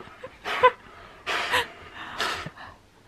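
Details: Siberian Husky Keyush, tired after a bout of zoomies indoors around a red bean bag, breathing in three loud, breathy, hissing pants spaced under a second apart, with quiet room background between them.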